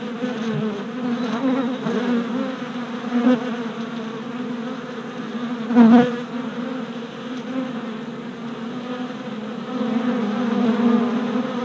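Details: Worker honey bees making orientation flights outside a new hive four days after installation; steady humming of many wings, a loud close fly-by near six seconds, and the drone swelling toward the end.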